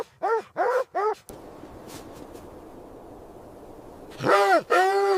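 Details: Dog with puppies romping in fresh white snow: three quick harmonic barks, a pause filled with steady background hiss, then two louder, drawn-out yelps that arch upward and fall.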